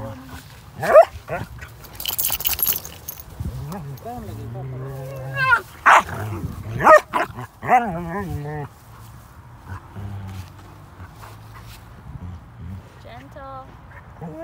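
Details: Playful Basset Hounds at play give loud, harmonic bark-howls and yelps, clustered between four and eight seconds with quieter whines later, over steady background music and someone talking.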